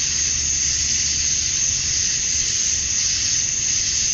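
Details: Male cicadas in Georgia, USA, calling at dusk on a summer night to attract females: a dense, steady, hissing high drone with a bright sharp edge on top, unbroken for the whole stretch.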